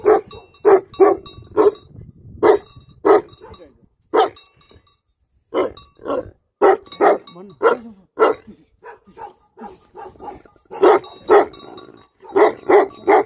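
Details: Livestock guardian dogs barking persistently, bursts of quick repeated barks with short gaps, several voices overlapping at times over low background noise.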